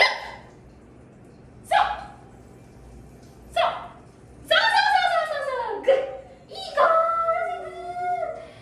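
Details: Dachshund barking during a training session: short sharp barks near 1.7 s and 3.6 s, then longer whining, falling yelps and drawn-out tonal whimpers toward the end, over faint background music.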